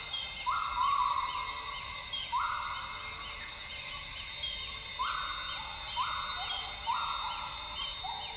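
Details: Northern grey gibbons singing at dawn in lowland rainforest of Tawau Hills Park, Sabah, Borneo: loud bubbly notes in rapid bursts repeated every second or two, over steady insect drone and scattered bird chirps.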